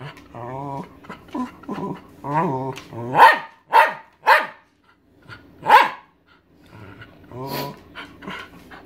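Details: Thirteen-year-old Welsh Terrier barking because she wants her owner's dinner: moaning, wavering whine-like vocalisations lead into sharp, loud barks roughly every half second, then softer grumbling yelps.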